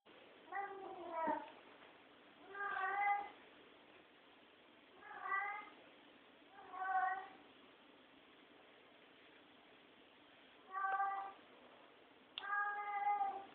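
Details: Domestic cat meowing indoors at night, a sound it keeps up all night long; six drawn-out, nasal meows spaced a couple of seconds apart over a steady low hiss of room noise.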